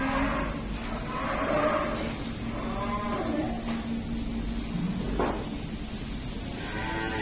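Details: Cattle lowing at an Indian dairy farm with cows and buffaloes: soft, short moos that rise and fall, set against a busy barn hum and scattered thuds.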